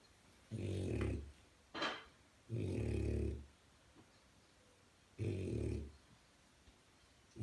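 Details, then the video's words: A French Bulldog puppy snores loudly, with deep rumbling breaths in a slow, uneven rhythm. "Funny snoring french bulldog"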